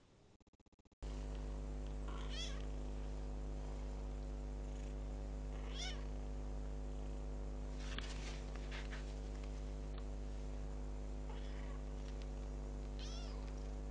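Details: Kitten ten days after adoption giving several thin, rising-falling meows spaced a few seconds apart over a steady low electrical hum, after a brief quiet start.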